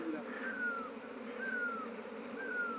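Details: Honey bees kept by a beekeeper who started with one hive and now has a 19th colony this year after two months: a steady, low droning hum with faint descending whistled tones repeating about once a second.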